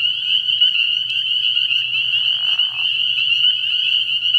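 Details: Early-year night chorus of spring peepers at a frog pond: a relentless shrill peeping mass, briefly joined mid-clip by a lower rasping trill, over a faint low hum.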